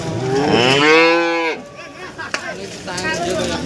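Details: Cattle at a livestock market in Warujayeng, Nganjuk, East Java, where breeding cows and mother cows with calves are sold: one long, rich, harmonic moo lasting about a second and a half, ending abruptly, followed by crowd murmur and a sharp knock.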